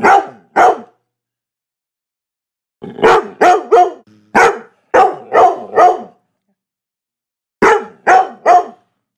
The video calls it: LABRADOR BARKING sound (HD) by clear sounds